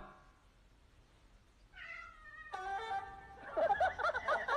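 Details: Domestic cat in a funny-cats compilation giving two short meows, the first drawn out and gently falling, the second briefer and lower, then a burst of louder rustling, clattering noise, with faint music in the background.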